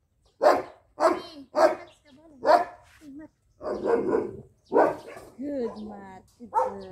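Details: Lucy, a jet black Belgian Malinois puppy of two months, barks four times in quick succession during a training session, followed by a handler's voice talking and praising her.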